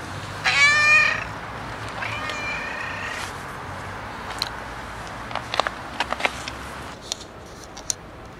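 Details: Domestic cat meowing: one loud, drawn-out harmonic meow near the start, then a second softer, flatter meow, followed by scattered clicks and knocks in a quiet room.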